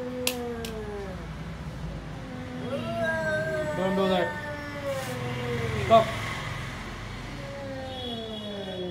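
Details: An everyday standoff between two cats, lion cat and tall cat, over stolen food: a string of arched, whining yowls that rise then fall, several overlapping, with a few sharp knocks and clicks.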